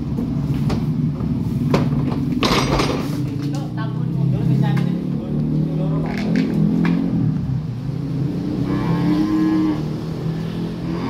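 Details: Newly delivered calves and mother cows. Scattered low moos sound over a constant rumbling background, interrupted by sharp knocks and bits of human voices, with a longer moo after the midpoint.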